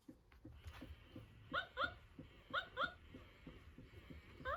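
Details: Two-month-old tricolour Cavalier King Charles Spaniel puppy Milk, indoors at her first meeting with her older Blenheim sister Choco; high, thin whimpering yelps rising in pitch, coming in quick pairs, three bursts within four seconds, over soft room noise.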